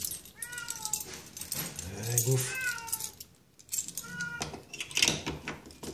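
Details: Domestic cat greeting its owner on arriving home, waiting eagerly; several rising-falling meows with clear harmonics, interleaved with a man's Dutch speech calling to it and keys jangling.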